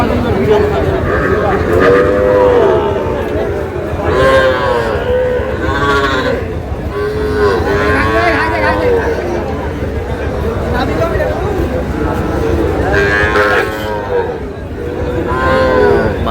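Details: Sahiwal bull calves at a cattle market in Kushtia, Bangladesh, on 3 July, being bought by a farmer; several high, drawn-out arching moos rise and fall at irregular intervals over steady crowd chatter and men talking nearby.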